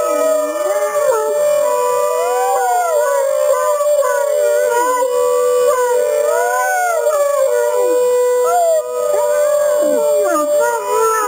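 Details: Two Great Danes, one bigger and one smaller, howl together at an alarm in long, wavering, overlapping tones that rise and fall.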